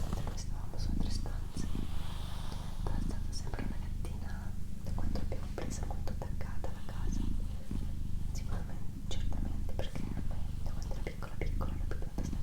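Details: Female house cat Doroti purring in a small room, a continuous deep throbbing hum pausing briefly roughly every one to two seconds, overlaid by quiet whispered words and light tapping sounds.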